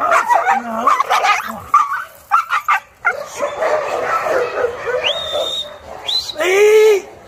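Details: Maike the Chow Chow, described as fearful during a training session, gives choppy yips, then long arched whimpers near the end, with a man's Portuguese speech in between.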